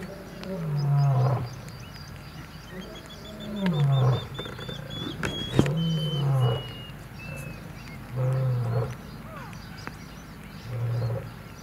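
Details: In Kruger National Park, young male lions and an old male fight over territory: a series of five deep, low grunting roars, each sliding slightly downward, spaced roughly every two and a half seconds, while birds whistle thinly overhead.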